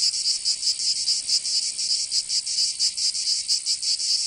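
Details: Cicadas singing in summer in Provence, southern France: a dense, high, hissing buzz pulsing roughly five times a second, with uneven throbs and a steady shrill layer underneath, with no other sounds.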